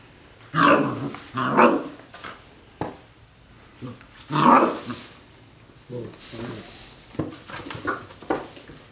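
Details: Golden Retriever puppies aged 40 days, with their adult uncle, let out several loud yelping cries and lower growls in uneven bursts, with quieter scuffling and sharp clicks between them.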